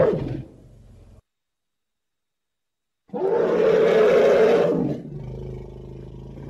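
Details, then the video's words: Elephant giving a loud, harsh, roaring trumpet blast lasting about two seconds, preceded by a brief lower call and silence, then fading into a quieter low rumble. "Tiếng kêu con voi || The sound and picture of the Elephant"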